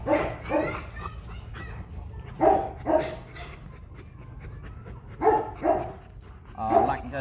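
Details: Rottweiler guard dog at a kennel barking in spaced pairs of deep woofs every couple of seconds, with a person speaking in the background.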